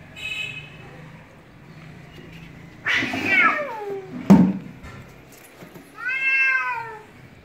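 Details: Pet cat defending its house territory against a stray cat, aggressive and unwilling to share; a short harmonic meow opens, then a louder falling wail, a sharp thump, and a final rising-falling meow.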